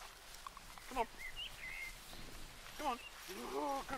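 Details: Labrador Retriever puppies, one of seven, giving short rising whimpering whines in three bursts, near one, three and three and a half seconds, with a brief higher squeak between them and quiet outdoor background.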